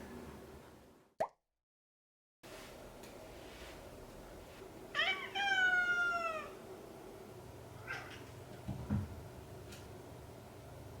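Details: Pet cat being introduced to the other cats indoors: after a brief click and a moment of silence, one long meow sweeps downward, with faint rustles and soft room noise around it.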